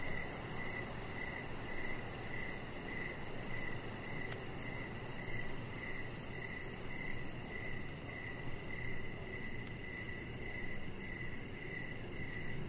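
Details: Crickets chirping in the evening beside a deck with decoration lights, a chihuahua puppy lying nearby; short mid-pitched chirps pulse steadily about twice a second, over a faint, very high, rapid ticking and a constant low rumbling hum.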